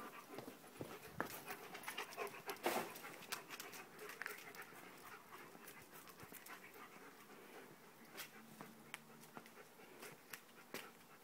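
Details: Dogs Brox and Jessie at play, panting in quick, breathy, broadband puffs that come in irregular bursts, with a few sharper clicks and scuffs scattered throughout and a faint low hum toward the end.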